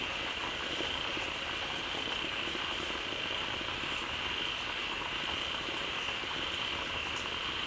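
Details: As water spills from a waterfall into their pond, a gathered group of frogs calls loudly; rapid clustered croaks blend into a steady, unvarying roar with a bright high tone running throughout.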